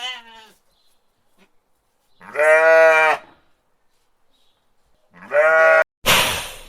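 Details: Sheep bleating in two loud, wavering, nasal calls about three seconds apart, each lasting under a second, followed by a short burst of rough noise.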